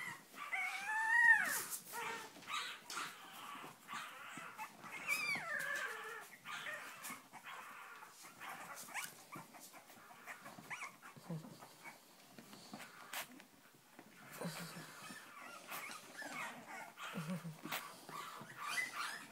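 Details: Cavalier King Charles Spaniel puppies in Spain, litter of Sarlat and Chloé born 7 April 2014, eager to get out; a few loud wavering whines early, then softer scattered whimpers and handling noise.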